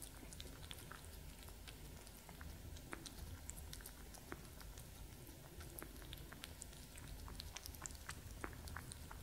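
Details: Two cats, Gordy and Master Yoda, eating and drinking indoors; steady soft crunching and lapping clicks scattered through the clip over a low room hum.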